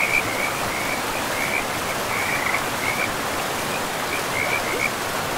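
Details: Frogs in a pristine forest with moss-covered ground, calling beside a river: thin, high trilled notes that come in short bursts across the clip, half buried under the steady hiss of flowing water.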